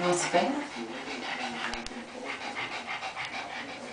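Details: Hyper pet Pekingese running around crazily indoors, breathing in fast, rough, breathy pants that repeat several times a second after a short burst of human voice at the start.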